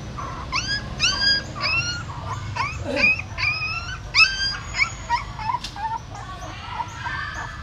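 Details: At a pagoda in Siem Reap, a female dog moves her newborn puppies, born in a hole in the stupa, by carrying them in her mouth. Short, upward-sweeping squeals repeat about twice a second, then grow sparser and fainter.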